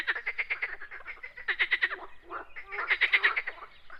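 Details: Frogs outdoors giving quick trains of rattling, pulsed croaks, two main bursts separated by a brief pause, with overlapping voices creating a busy chorus.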